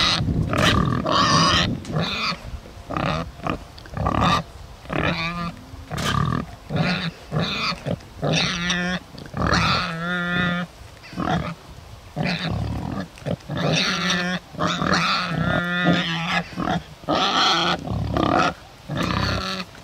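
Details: Two rare Bentheimer pigs on a meadow in the Lower Rhine region grunt and squeal in short, rapid bursts, with some higher whining notes; the grunting sounds admittedly unhappy.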